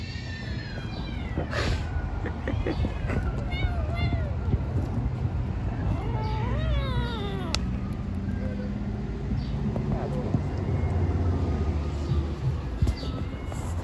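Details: Hungry stray kittens living on the street mewing repeatedly in short, arched, high meows over steady loud background rumble, possibly traffic.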